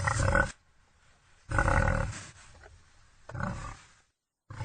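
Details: Three gruff wild boar bursts, the middle one longest and most growling, each low and raspy and separated by quiet pauses of about a second.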